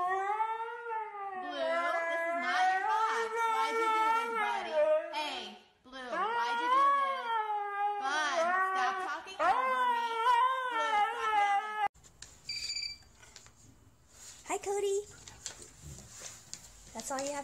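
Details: Siberian Husky, one of the funny moments in a dog compilation, gives long wavering whiny howls and yodel-like 'talking' calls in bursts for about twelve seconds, rising and falling in pitch, followed by a quieter indoor stretch with faint clatter.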